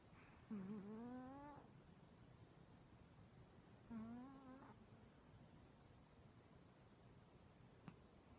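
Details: Sleeping elderly male cat giving two soft snores about three seconds apart, each a brief wheezy, slightly rising nasal tone, followed by silence and a tiny tap.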